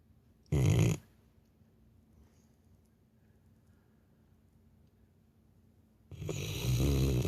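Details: Labrador Retriever sleeping and snoring like a human: a short, harsh snore near the start, five seconds of near silence in a quiet room, then a longer rasping snore building at the end.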